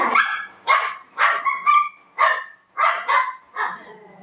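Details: Golden Retriever at home in the afternoon, playfully keeping its owner from napping, gives a run of short, sharp barks about twice a second, unevenly spaced, each a bright rough burst, with quiet gaps between.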